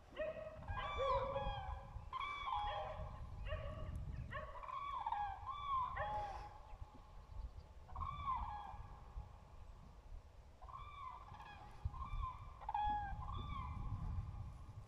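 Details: Dachshund giving short, arched, high whining yelps with ringing harmonics, delivered in quick bursts of three to five notes separated by brief pauses, over a low rumbling background.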